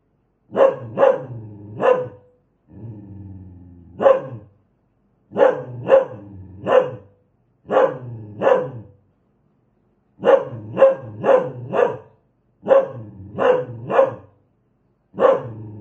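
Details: Fierce dog giving repeated sharp barks in quick bursts of two or three, broken by short pauses and a low growl early on, with nothing else audible.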